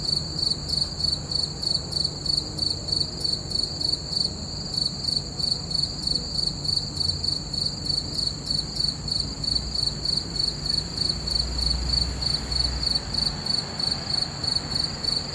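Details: Crickets calling through a full-moon night, their bright metallic chirps pulsing steadily around three times per second, with a quiet low background rumble.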